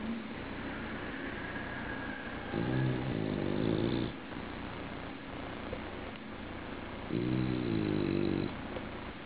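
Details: A sleeping bulldog gives two long, throaty snores about four and a half seconds apart, each buzzing and layered for well over a second, with quiet room noise between breaths.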